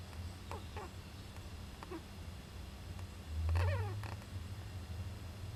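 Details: Young Japanese giant flying squirrel in an owl nest box, recorded 19 July 2010, sneezing: a few short, faint squeaky calls with downward-sweeping harmonics, one louder burst near the middle, over steady low rumbling background hum.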